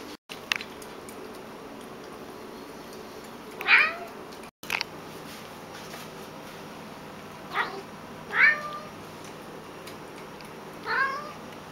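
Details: Domestic cats indoors: three or four short meows with falling harmonic strokes, spaced a few seconds apart, over a quiet room hum.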